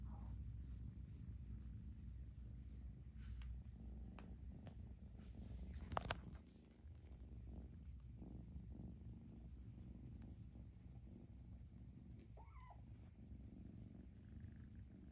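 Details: Foster kitten purring steadily while being socialized, a low continuous rumble with a sharp handling knock around six seconds and a faint short squeak later.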